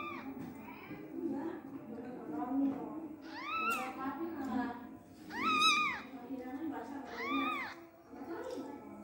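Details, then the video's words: Newborn Persian kittens, abandoned by their mother and not being nursed, give high, arching mews in short bursts around the middle and end, over steady talking and soft background music. "bayi kucing,anak kucing persia baru lahir di telantarkan induknya||gak di susuin"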